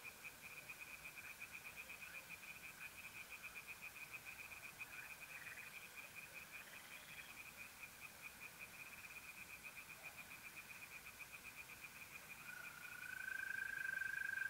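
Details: Nocturnal pond chorus of tree frogs in North-East Italy, mid-April: a long, regular run of quick high pulses, almost three per second, with a few scattered calls and a mole cricket's smooth steady trill rising at the end.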